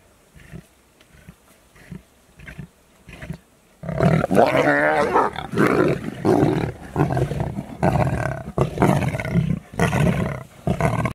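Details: Lions of a pride growl as they feast at supper. A few soft grunts come first, then loud, harsh, overlapping snarls and rumbling growls, repeated in ragged bursts about every second until the end.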